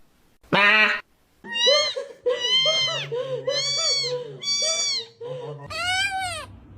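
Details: Kitten meowing repeatedly, about once a second: a sharp first cry, then a run of arched, drawn-out mews, with a low voice humming underneath.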